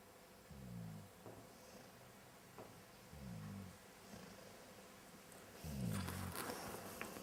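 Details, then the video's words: Ali, a female pet dog at a family home, snores while still awake with her eyes open: three low, rumbling, throaty snores about every two and a half seconds, each a short grating burst, over soft room noise. "My dog starts snoring while her eyes are still open..."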